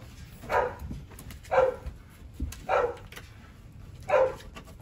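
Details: Eleven Rottweiler puppies, dewormed together indoors, whine with hunger as they beg for food. Four rising-and-falling whimpers sound about one second apart, each short and clear, with a faint room murmur and footsteps between them.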